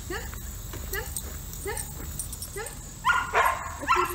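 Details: Yellow Labrador Retriever in dog training, giving a steady run of short, high, upward-sliding whimpering yelps about twice a second, then louder, harsher yelps near the end over a constant background hiss.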